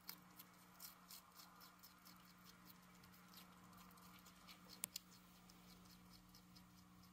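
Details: Pet hedgehog Uni eating cabbage, making quiet, dry, crackly chewing clicks in uneven bursts, with one sharper snap near the middle, over a faint constant indoor hum.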